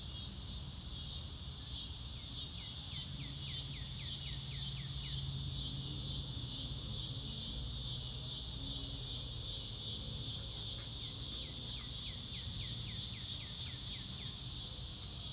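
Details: Crickets outdoors under a blue sky, a steady high shimmering chorus of fast pulsed chirps running throughout, with a bird's short falling whistled notes repeated in quick series near the start and again later, over low rumbling background noise.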